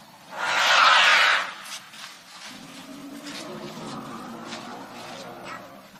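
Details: An elephant in Africa gives one loud, harsh, brassy trumpet blast, followed by a low, steady murmur.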